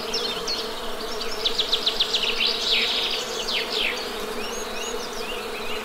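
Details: Honey bee buzzing as an unbroken low hum beneath a lively bird song of quick, stuttering trills and sliding whistles in the middle of the recording.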